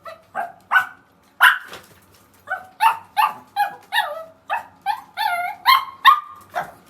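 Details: A household pet dog, one of a pair of sisters among Yorkshire terriers and a Maltese, trades cries with the other. Short, rising, tonal yelps repeat about every half second, some stretching into brief howl-like notes.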